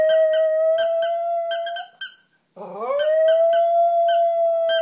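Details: A pet dog howls along with a squeaky toy, a long level wavering howl running under repeated sharp squeaks, a short pause, then a low rising yodel swelling back into the sustained howl.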